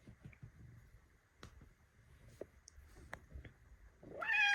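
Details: Bengal cat kneading and purring indoors; soft low purring and light taps give way to a single clear rising, harmonic-rich meow at the very end.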